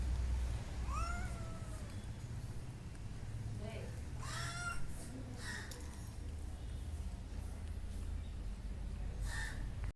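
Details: Household pet cat making funny sounds: two short bending meows early on, followed by faint murmurs and human voices over a steady low rumble.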